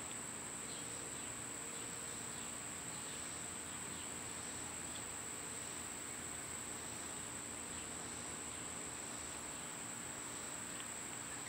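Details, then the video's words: Cicadas in summer hold a strong, unbroken, piercing high buzz throughout, with only faint, sparse bird chirps and a low outdoor rumble behind. "Birds & Squirrels w/ Cicada sounds"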